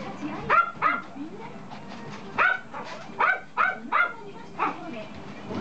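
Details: Toy poodle puppy letting out scattered shrill yaps, a pair early, then a cluster of four and a final one, over a low indoor hum.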